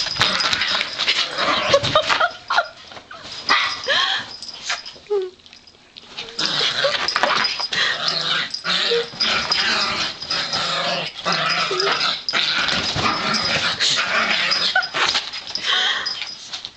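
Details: Pet Yorkshire Terrier girls play-fighting indoors, dense scuffling growls and snarls almost continuous, a brief quieter lull near the middle, a woman speaking to them over the noise.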